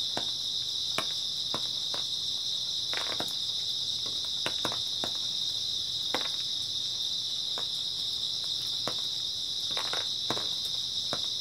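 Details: Grass insects on an early autumn night, a steady dense high shimmering trill holding without break, scattered with sharp irregular clicks and crackles like drips or twigs snapping.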